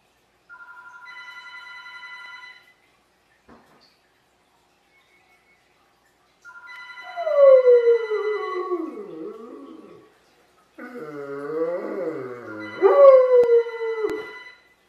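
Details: Kimba, a pet dog, howling when the phone rings: a steady electronic ring, then two long wavering howls that slide downward in pitch, each rising again briefly before fading, with the ringing tone still sounding alongside.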